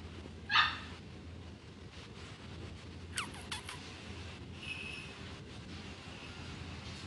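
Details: A young female black-and-tan Miniature Dachshund, born 23 May 2016, at a pet shop gives one sharp, high bark, then a few thin, falling yelps.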